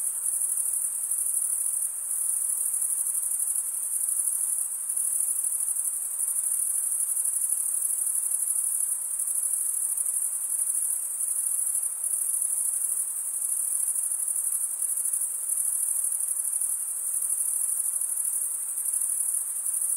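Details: Summer night in the forest with a chorus of crickets: steady shrill high trilling pulsing slightly in loudness every second or so, unbroken for the full length over soft background hiss.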